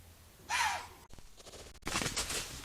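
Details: At night, grazing white-tailed deer being stalked by a large gray wolf: one deer gives a sharp, breathy warning snort, then rustling as the three deer flee into the woods before the wolf steps into the clearing.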